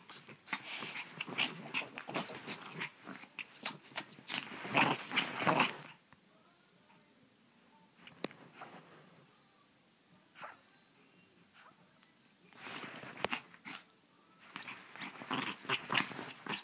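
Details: Pepito, a Chihuahua described as crazy, indoors in a small room: harsh, raspy growling and snarling bursts through the first six seconds, then near quiet with scattered clicks, and a second rough growling spell near the end.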